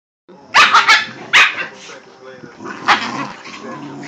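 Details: Dog barking, Italian Mastiff facing a Miniature Pinscher, recorded on an Android phone: several sharp, loud barks in a quick burst, then another bark near the end, with a person speaking softly.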